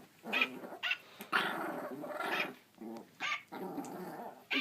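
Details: Puppy growling and giving short barks at a singing Santa dog toy that plays Jingle Bells, which she has always hated; low rumbling growls broken by brief yips, fairly quiet, with the toy's music in the background.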